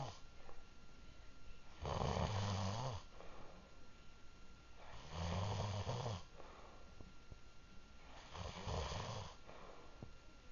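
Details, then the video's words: Sleeping dog giving three deep, rattling snores roughly three seconds apart, each a low buzzing rumble with a breathy hiss on top, separated by near-silent gaps in a quiet indoor room. "David Snoring"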